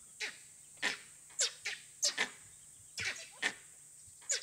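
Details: Langurs sitting in trees in an Indian forest give harsh, coughing alarm barks, several a second, warning of an unseen danger, possibly a leopard or wild dogs; fresh wild dog signs were found nearby.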